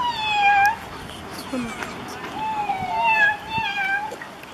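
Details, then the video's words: Several ring-tailed lemurs calling together: drawn-out, mewing wails with rich harmonics, one long cry then overlapping level and slightly falling cries that blend into a chorus. Children make noises faintly in the background. "Ring-tailed Lemur Call"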